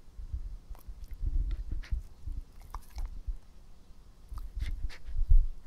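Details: Pet dog Epo chewing near the microphone: bursts of wet, crunchy mastication and lip smacks in uneven clusters, pausing briefly between bites.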